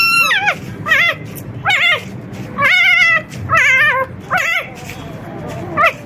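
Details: Dogs in a puppy room: Rosalie, an experienced mother, with her last litter of four excited 4-day-old pups. Short wavering, harmonic-rich whines come in separate bursts roughly every second, rising then dipping, over a low background hum.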